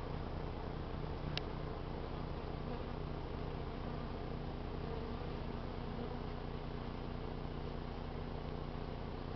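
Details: Honey bees robbing out a trap-out lure hive, neighbouring foragers joining in with some fighting; a dense, steady low buzzing drone fills the air without pause, with a brief sharp click early on.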